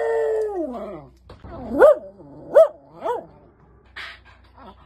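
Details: A male miniature schnauzer howls in greeting when his owners come home from a hike, giving a long falling note and then three short rising-and-falling wails.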